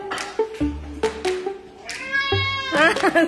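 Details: Pet cat at feeding time, smelling shrimp while waiting to eat; several short meows lead into longer, higher, drawn-out meows, over background music and a person talking.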